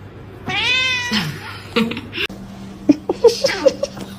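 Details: Cat meowing in a funny-cat compilation: one drawn-out, arching harmonic meow, followed by clicks, short squeaky chirps and soft background voices.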